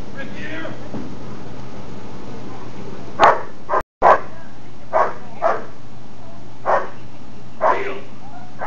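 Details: German Shepherd Johann in Schutzhund protection phase training, including blind search and bark and hold, preparing for a SchH 1 trial in the fall. A man talks at first, then sharp, loud barks come in irregular bursts, about seven over five seconds, over a steady low hum.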